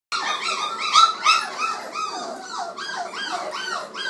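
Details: Several 29-day-old black Labrador Retriever puppies, indoors, noisy while feeding: overlapping high squeaky whines and yelps, each sliding downward, in rapid irregular succession.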